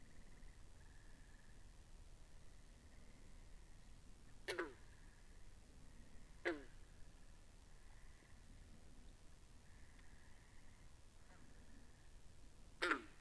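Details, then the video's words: Pond frogs in a binaural recording: three loud, sharp plunking calls spaced a few seconds apart, set against continuous soft trilling choruses at a steady pitch and low background noise. "Two Hours Of Frogs By The Pond"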